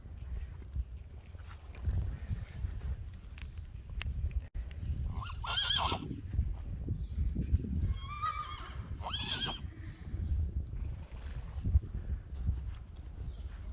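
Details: Friesian horses in an outdoor arena, a 4-day-old filly out for the first time beside her mother; two loud shaking whinnies around six and nine seconds, each with stacked quavering harmonics, amid hoof clops and low rumbling background.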